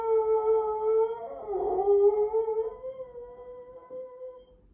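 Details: Pet dog in the United States, standing on a couch by a window and howling in response to sirens: a long, sustained, wavering tonal howl that holds steady, dips and swells in the middle, then slowly fades out.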